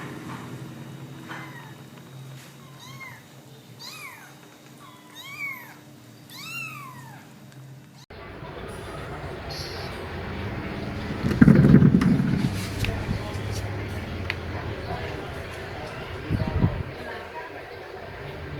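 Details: Kittens playing with their mother cat: a string of about six short, high rising-and-falling mews over the first eight seconds, followed by a steady hum, rustling and a low thud.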